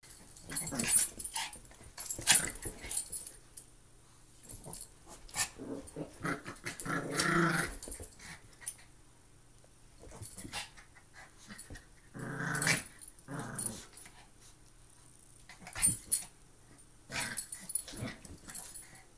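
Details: Two Maltese dogs at play give short rough growls, with a longer throaty growl near the middle and another at about twelve seconds, between scuffling clicks and thumps.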